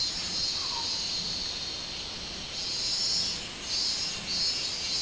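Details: High pulsing drone of a minmin cicada in summer, 24 July 2016, swelling louder in the second half, with a brief soft sliding note early on.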